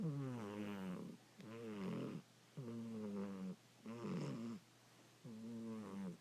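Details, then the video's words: Sleeping pet cat Angel snoring: five drawn-out, buzzy breaths with a rising-then-falling tone, each about a second long and spaced evenly, in a quiet indoor setting. "Angel the Snoring Cat!!!"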